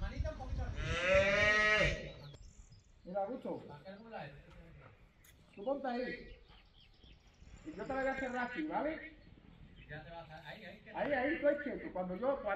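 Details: Female calf used for bullfighting practice at a private bullfighting school on a ranch gives a loud, drawn-out, harmonic bawl lasting about two seconds at the start, followed by men's voices talking through the rest.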